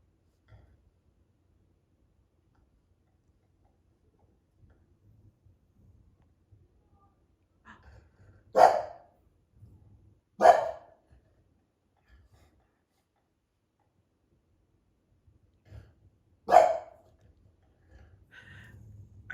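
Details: An English Bulldog at bedtime gives three single, gruff mid-pitched barks spaced a few seconds apart, reacting to distant noise of people talking upstairs and a party next door.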